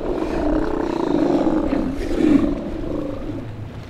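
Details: Steller sea lion in Fanny Bay, north of Nanaimo, Vancouver Island, Canada, during a March 2014 disentanglement rescue; a drawn-out, throaty, gravelly roar rising and falling over several seconds, faint background noise.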